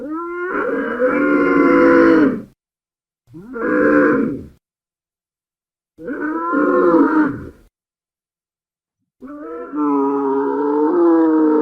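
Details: Dromedary grumbling in a desert setting: four deep, harmonic moaning bellows, each about one to two seconds long, broken by silent gaps. The last bellow is steadier and drawn out.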